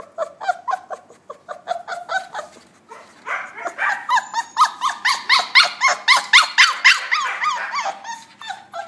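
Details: Puppies interacting, giving a fast run of short, high yipping barks, about four per second, softer at first, then louder and steadier after a brief lull.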